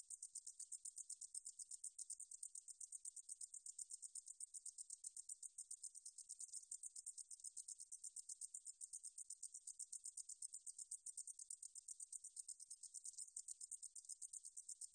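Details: Katydid singing, from 2020 National Institute of Biological Resources recordings. A shrill, dry, buzzing chatter is repeated in quick, steady pulses for the whole stretch, with nothing else audible.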